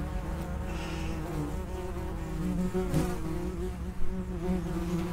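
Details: Dense buzzing from common wasps by an underground nest entrance, multiple overlapping hums with brief louder flybys around three and four seconds.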